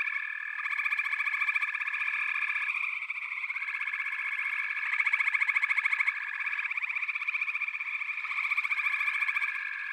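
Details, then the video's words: Dense frog chorus: many overlapping high, rapid trills form a continuous shimmering band, with one steady higher tone dropping out and returning. "FROGS - Pig Frogs, Water Frogs, Backwater Chorus, & Frog Chorus"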